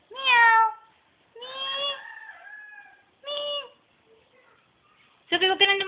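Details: Kitty mewing as people coax it to come. Three clear rising-then-falling meows, the second drawn out, are followed by a burst of human speech.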